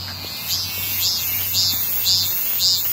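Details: Cicada calling on 9 July 2018 along the way to Hwaseo Station: high, arched buzzy phrases repeated about twice a second over a steady low hum.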